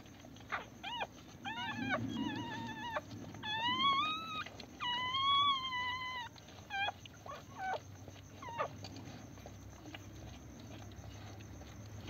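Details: First-day Pomeranian pups, delivered at home, produce a run of brief squeaky whimpers, a few longer arched cries in the middle, thinning out toward the end with faint household murmur.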